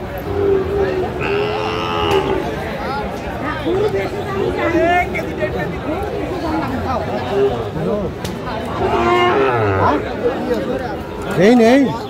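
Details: Sahiwal bull calves at a busy cattle market on 15 February 2025, bought by Dhaka farmers: a few short harmonic moos, one rising call near the end, amid constant bargaining voices and crowd chatter.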